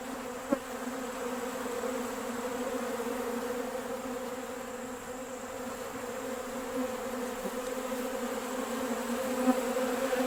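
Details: Western honey bees swarming a bucket feeder of sugar water on a warm, nice day, busy after one seemed to call the others; a steady, even hum of many wings with a low drone and a few faint clicks.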